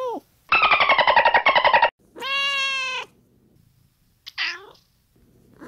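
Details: Domestic cat meows for a children's counting brain game: a rapid pulsed trilling meow lasting over a second, followed by a clear steady harmonic meow and a brief higher squeak, with quiet gaps between.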